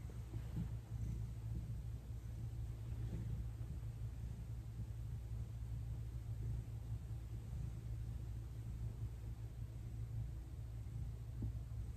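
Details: A low, steady rumble with faint broadband noise runs throughout, and no animal voice is heard.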